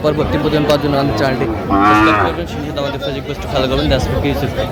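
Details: Cattle at the Aftabganj cattle market in Bangladesh, where dry-bodied cows are sold; one arched harmonic moo near the middle, surrounded by steady crowd chatter and men's voices.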